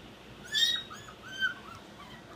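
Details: A 10-week-old Shiba Inu puppy during crate training gives high, thin whines that rise and fall in short bursts.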